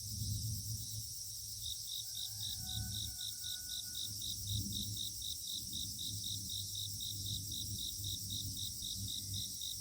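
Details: Insects chorusing at dawn in mountain fog: an evenly pulsed high trill ticks along about four times a second over a dense, ringing high drone, with a few faint thin whistles and soft low background noise.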